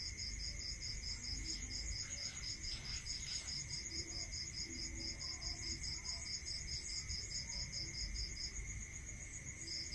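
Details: Crickets at night in a rural setting give a rapid, evenly spaced pulsed chirp for most of the stretch, atop a persistent high drone, with faint scattered background sounds and low rumble.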